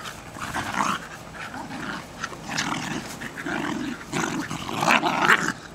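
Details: Jasper and Jaclyn, two Jack Russell Terriers just over one year old, playing enthusiastic tug of war in a back yard in Lenexa, Kansas, on 14 July 2008; rough, rumbling growls come in uneven surges with snarly peaks throughout.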